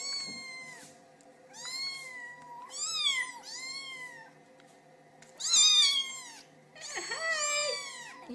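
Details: Small kittens crying for attention from their owners: a rapid series of high, harmonic meows, some overlapping from more than one kitten, several rising then drooping, a few louder and shriller near the end.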